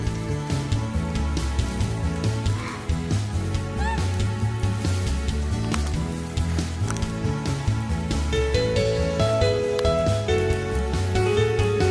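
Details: Background music with a steady beat and melodic notes, with faint voices underneath and no distinct animal calls.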